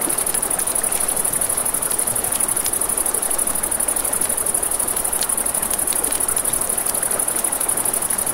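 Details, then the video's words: Nighttime riverside crickets keep up a continuous high-pitched trill while running water hisses underneath and frequent small campfire crackles and snaps sound throughout. "Crickets, Ambient Nature Sounds"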